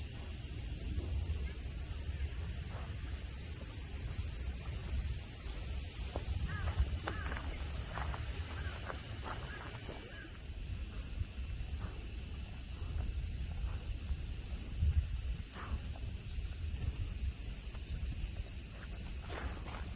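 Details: A cicada chorus sings at Nara Park, Japan, amid grass, mountains and friendly deer: an even, high, hissing drone for the full length, with scattered light taps and a low rumble underneath.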